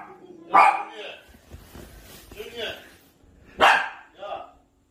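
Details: Maltese dog reacting to a baby on a screen with two short, sharp barks about three seconds apart, each followed by a softer trailing sound, with quiet voices in between.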